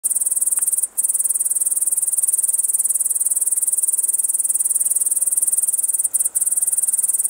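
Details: A long-winged bush cricket (Tettigonia dolichoptera), perched on tall grass in lowland grassland, sings a steady, very high-pitched buzzing trill with only brief pauses.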